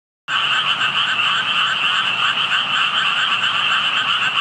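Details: Frogs calling unseen near water where only tadpoles were visible, heard while passing by; a dense, unbroken chorus of rapid, rattling croaks that starts abruptly and holds steady throughout, with a bright high buzz over a lower trill.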